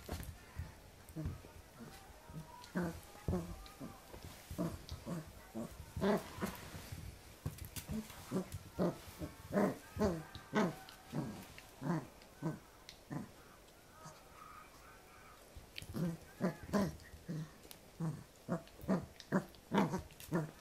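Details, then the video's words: A 2014 Pembroke Welsh Corgi puppy at play against a hand; soft, low grunting growls in clustered bursts with pauses between runs, plus faint background voices. "cute puppy Vs. hand / コーギー子犬 Vs 手 welsh corgi pembroke"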